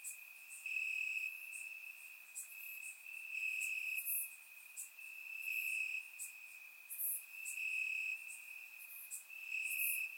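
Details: On a warm Bulgarian summer night, crickets chirp in the grass, recorded in surround sound; an unbroken high-pitched drone with louder trilled phrases lasting about a second, recurring irregularly, plus scattered very high clicky chirps.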